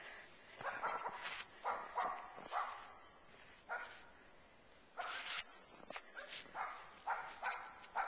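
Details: Katie, a pet dog, chasing a squirrel that leapt from a bird feeder to a tree outdoors: a run of sharp, broadband barks about once a second, with short gaps and a faint rustle between them.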